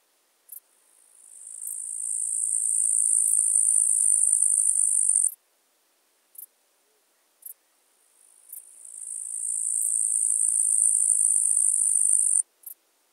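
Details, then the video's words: Tettigonia caudata, the eastern green bush-cricket, in Marz, Austria, July 2022: two long high-pitched buzzing phrases, each rising gradually in loudness and ending abruptly, with short clicking ticks scattered before, between and after them. "Tettigonia caudata -- Östliches Heupferd -- Eastern Green Bush-cricket"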